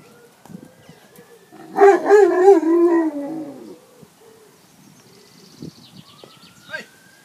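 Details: Leonberger dogs going for a swim; one gives a loud, wavering, whining howl lasting about a second and a half, with steady tonal layers, set among quieter scattered noises and a faint rising whistle-like tone.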